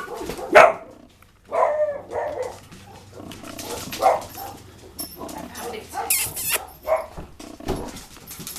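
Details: Playing male Cavalier Spaniel and Dachshund cross, two years old, barks in short loud bursts spaced one to three seconds apart, with quieter grumbles in between and some household noise.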